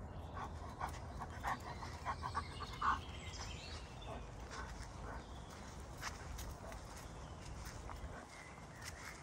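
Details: Greater Swiss Mountain Dog named Kees, filmed in forest at Ulvenhout on 17 January 2016, panting in quick rhythmic breathy bursts, with a few louder puffs midway over a steady low outdoor rumble.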